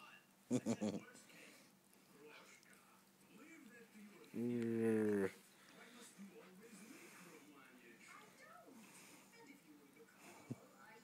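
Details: Kuda, a Siberian Husky indoors, gives one brief harmonic cry of under a second that rises slightly in pitch, amid a person's soft talk about chewing fingers and showing teeth.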